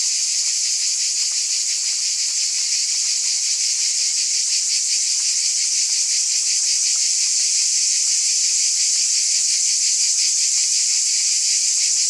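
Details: Unchanging wall of cicada buzzing, shrill and hissing, with a fine regular pulsation beneath the drone for the whole stretch; no other sounds.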